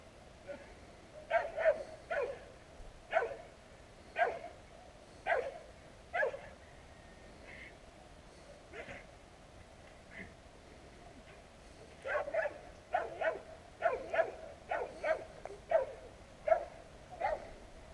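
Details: Street dogs on a town street barking at passers-by, recorded on a GoPro Hero: a distant, repeated chorus of short sharp barks in irregular bursts, thickest near the end, over steady background noise.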